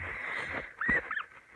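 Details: Guinea pig giving a short, squeaky whistled note that bends up and then falls, followed by a quicker second chirp, over a steady high-pitched hum and faint low rumble.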